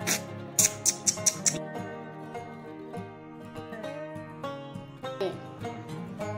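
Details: Soft plucked-string music with a few bright chimes near the start fills the recording, with no animal voice.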